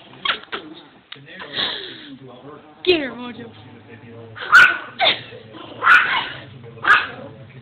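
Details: Household dog, angry at an unfamiliar doll head because he dislikes strangers, gives a string of loud, harsh barks in the second half, roughly one every second, after earlier whining sounds and speech.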